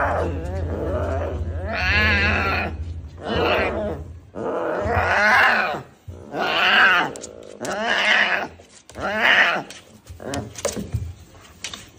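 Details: Tiger cub, a baby, calling repeatedly with loud moaning wails, about seven in a row, each wavering in pitch, over low humming noise.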